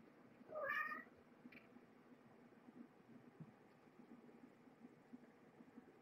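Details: Mother cat Marge and her five kittens, born November 22, 2014, at Purrfect Pals shelter during evening dinnertime, December 30. A single clear, rising-then-falling meow rings out early, followed by quiet indoor background hum.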